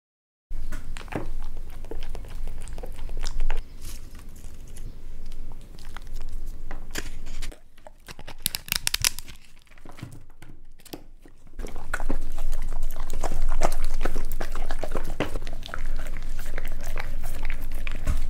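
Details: Basset Hound in a cinco de mayo outfit eating tacos: irregular crunching and chewing with crinkling, tearing wrapper noises, a quiet stretch near the middle, then a louder, steady low rumble under the chewing from about twelve seconds.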